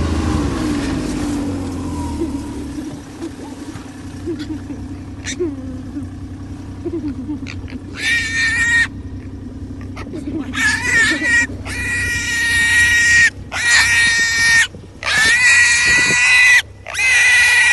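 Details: A lone wild boar, left behind after its family was chased down and being caught by hand, gives loud, harsh, shrill squeals in long repeated bursts after an idling engine and voices.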